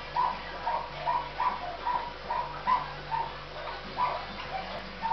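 A Miniature Dachshund gives quick, high whimpers in a steady run, two or three each second.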